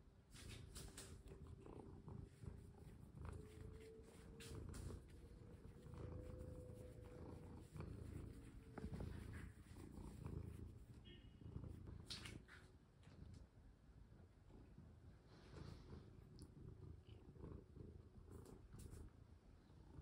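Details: Domestic cat being played with at home, with a collar put on: steady low rumbling purr running throughout, with soft rustling and handling noises and a faint tone near the start.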